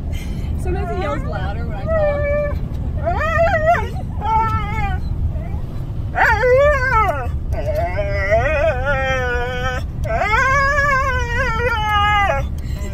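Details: Two Siberian huskies howl while travelling in a car: repeated wavering, arching howls in several long bouts with brief pauses, some notes held steady and others bending up and down, over steady engine noise.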